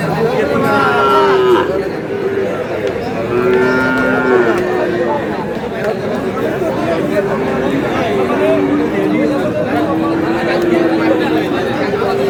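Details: Sahiwal bull calf at a cattle market in Munshiganj, Bangladesh, on 29 March; several drawn-out, steady mid-pitched moos with strong overtones recur through the clip, some overlapping, over constant crowd chatter and bargaining voices.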